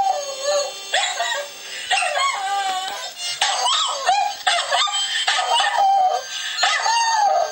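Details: A dog howls along to harmonica music played over the internet, wavering drawn-out cries that rise and fall in pitch. The howls come in bursts of roughly one to two seconds, mixed with the bright, reedy harmonica tones.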